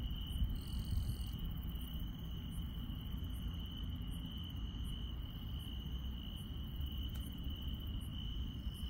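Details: On a countryside night, insects keep up a constant shrill ringing tone, while a second caller adds tiny high ticks repeated roughly every half second. A heavy low-pitched hum fills the background.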